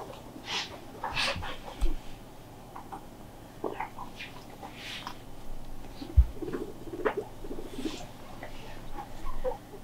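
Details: Pet guinea pig left alone, crying loudly out of loneliness: short, high squeaky squeals in irregular bursts, some rising sharply, scattered over ten seconds with quiet gaps, over low indoor hum with soft human talking.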